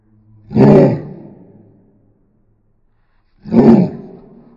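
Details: Angry dog named Roni gives two loud, harsh, roaring bursts about three seconds apart, each short and rough with a fading rumble after it.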